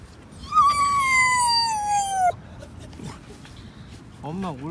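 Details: Domestic Jindo dog howls while its owner is away at the grocery store buying cat food. One sustained, clear howl lasts almost two seconds and falls gradually in pitch before cutting off, followed by quiet room sound and a brief wavering whine.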